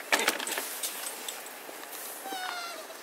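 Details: Paca, a Cavalier King Charles Spaniel, crying for its missing owner: a brief, tonal, slightly falling whine with bright overtones near the end. Sharp clicks and rustling open the clip, over a steady hiss.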